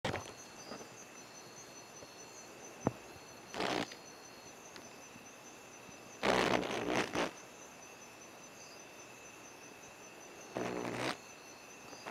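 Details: Sheep frog, Hypopachus variolosus, at Santa Rosa, ACG, on a path at 7:30pm while eating termites: three loud, harsh, buzzy bleats, the longest nearly a second, spaced several seconds apart over a steady high insect hum.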